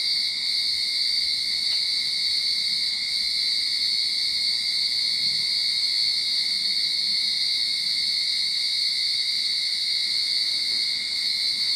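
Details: At the start of summer in a backyard in Sydney, cicadas keep up a constant piercing whine, layered high tones sustained evenly across the whole stretch.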